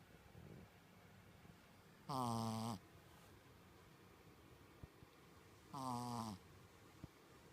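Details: Koron, a Shih Tzu kept as a staff dog, snores in his sleep like a person: two evenly spaced nasal snores, each slightly falling at the end, with quiet breathing and small ticks between them indoors.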